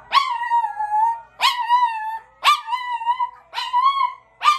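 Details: Pet Chihuahua singing after hearing other dogs' voices: five harmonic howls about a second apart, each starting with a sharp rising yelp and then a long wavering tone that slowly falls, with short quiet gaps between.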